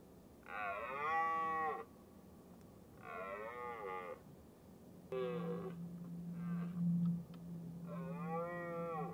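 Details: Red deer hind with a large calf in the rut, being driven up a hill by a male; five short nasal, harmonic calls, roughly one every two seconds, over a steady low hum in the second half.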